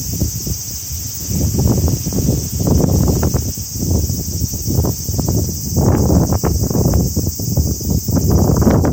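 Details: Early-summer cicada chorus, a continuous shrill electric hum that never pauses, beneath swelling bursts of wind shaking the trees.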